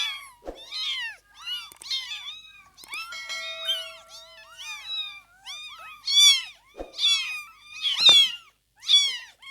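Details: Several newborn kittens in their first two weeks, while opening their eyes and starting to walk, give high arching squeaky mews in scattered bursts, with a faint steady tone in the background partway through.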